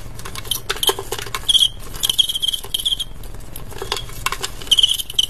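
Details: Two male crickets fighting in a cricket-fight contest: brief trilled chirps in short runs, separated by sharp clicking and scraping sounds.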